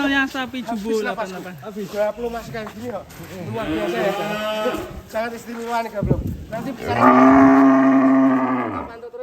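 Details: Cattle at Setia Farm in Indonesia during a cow's escape: a long, loud, harmonic moo swells near the end, preceded by lower drawn-out lowing mixed with men talking.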